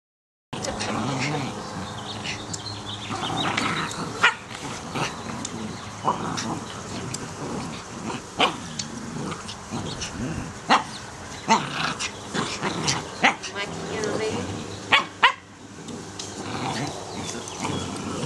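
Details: Norfolk Terriers at play: a busy run of short, sharp yips and barks with rough growling and whining sweeps, loud bursts scattered throughout, and faint human voices underneath.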